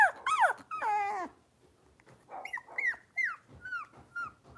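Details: Blenheim Cavalier King Charles Spaniel puppies indoors in a puppy pen: loud wavering whines that slide downward, then a pause and a string of shorter, high, falling yips, roughly two per second.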